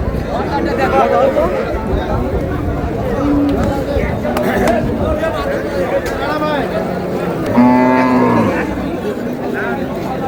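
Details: Cows with calves at Raniganj cattle market in Dinajpur, 4 May 2026: a short flat low moo around three seconds, then a longer drawn-out moo near eight seconds, amid constant crowd chatter and traders' voices.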